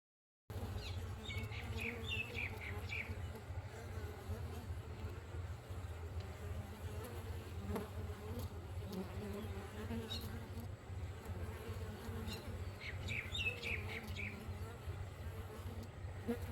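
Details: In the morning, bees hum in a low, steady drone, with a few birds chirping faintly in the background.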